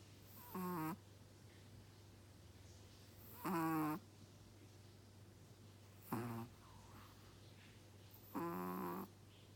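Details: Chihuahua snoring, four drawn-out nasal snores roughly every two to three seconds, each with a wheezy whistling edge, over a steady low electrical hum.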